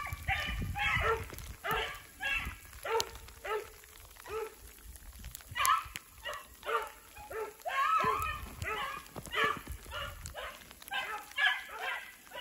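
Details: Beagles Rio and Ripley are hot on a snowshoe hare's trail in snowy woods with sleet and rain falling. They give a steady run of short, ringing bays, roughly two every second, with clear pauses between them and little other noise.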